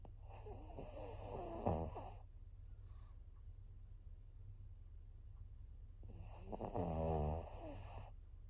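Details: A 14-year-old female fawn pug named Maria, filmed in Japan in September 2024, snores heavily with gurgling, wheezy inhalations in a two-second burst, pauses in near silence, then resumes louder, rumbling snores.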